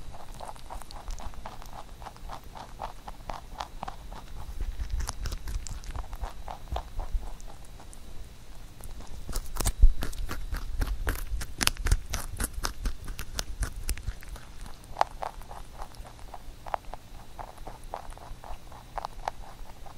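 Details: Huchu, a pet rabbit, eating a carrot songpyeon for Chuseok indoors; steady rhythmic nibbling clicks, a burst of sharp loud crunches midway, then softer chewing again.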